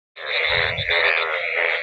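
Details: In a village after a night of heavy rain, a dense chorus of Indian bullfrogs, yellow frogs floating in the water, croak in overlapping voices forming a continuous rattling roar.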